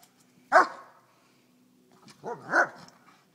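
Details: White German Shepherd playing at a park: one sharp bark, a pause of over a second, then a rising-falling pair of yelping barks close together.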